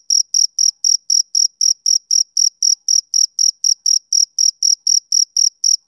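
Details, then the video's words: Male cricket chirping on a summer evening: about twenty-two high, sharp chirps in six seconds, roughly four each second, very even and steady, with no other sounds. "Cricket Chirping Sound Effect For Background Noise"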